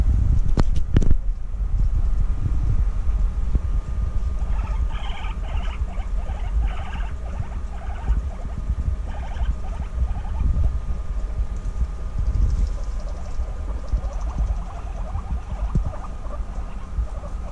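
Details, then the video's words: Female guinea pigs reunited after six months apart, bonding intensely indoors; a loud low rumble and thumping fill the recording, with bursts of quick stuttering pulses in the middle. "Guinea Pigs Reunited After 6 Months Apart: Intense Bonding"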